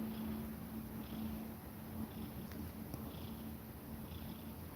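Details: Mother cat with her kittens, a steady low continuous purring rumble throughout, with a faint constant hum and broadband background hiss, no clear meows.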